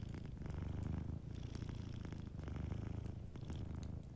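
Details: A sleeping cat's dense, low purr fills the room by a warm fire, rhythmic vibrating pulses in steady breath cycles, only faint scattered ticks of fire crackle in the background.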